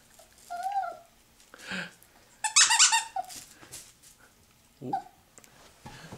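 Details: Poodle squeaking while being chased in play indoors: short high squeaks, a brighter burst of squeaks near the middle, with a person calling encouragement around it.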